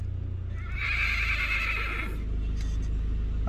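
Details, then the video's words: Arabian horse neighing: a sustained, quavering, bright tone lasting about a second and a half over a steady low rumble. "صهيل الحصان العربي"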